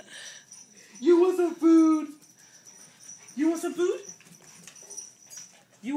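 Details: A tiny four-pound dog waiting for food gives two drawn-out, nasal whining cries, each about a second long, with quiet background and a faint steady high tone.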